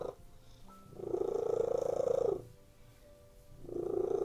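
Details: ['Relaxed domestic cats lying on a bed purr loudly and steadily, the rumbling swelling on each breath for over a second, then fading to a brief quiet gap before resuming; nothing else intrudes indoors.']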